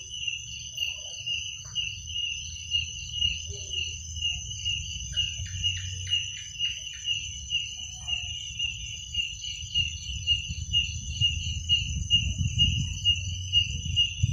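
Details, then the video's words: Crickets calling at night, a constant high, rapidly pulsed trill; a few brief faint chirps from another caller appear midway over a low rumbling background. "Suara jangkrik pada malam hari"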